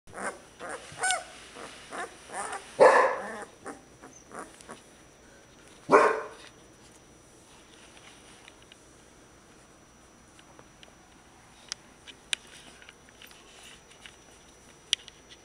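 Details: Young female Clumber Spaniel puppy giving two short, sharp barks, near three and six seconds in, with softer yips and rustling before them. Scattered faint clicks follow in a quiet room.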